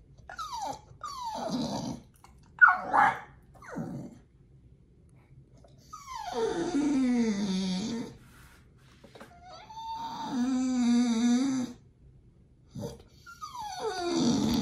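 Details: Pit Bull begging while waiting for a raw diet meal at feeding time: repeated drawn-out whimpers, each dropping from high to low, some wavering and nasal, a few short yips between them, with brief quiet gaps.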